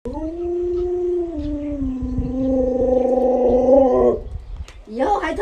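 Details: Lolo, a pet Alaskan Malamute, gives a sustained, steady howl for about four seconds. The pitch steps slightly lower partway through, then cuts off. A person talks afterward and faint room noise runs underneath.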